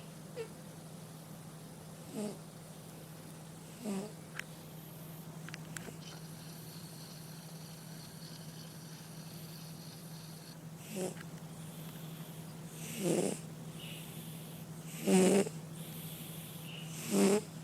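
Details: Domestic cat snoring: faint raspy breaths early on, then louder buzzy snores about every two seconds in the second half, over a steady low electrical hum and occasional soft clicks.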